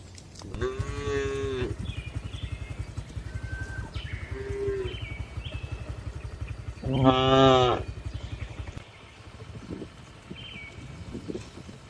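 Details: Tame cows inside a spacious farm barn; two loud moos stand out over a steady low mechanical hum, with a short quieter call between them and faint clatter after the hum stops.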